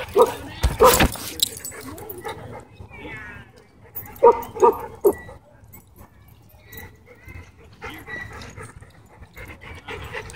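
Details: German Shepherd at a dog park putting a disrespectful dog in its place: sharp, loud barks burst out near the start and again around four seconds, with quieter yips between and people talking in the background.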